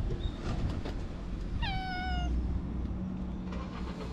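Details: A stray community cat gives a single clear meow, briefly rising then sliding gently down in pitch and lasting under a second, over steady low rumbling background noise, recorded on a GoPro camera.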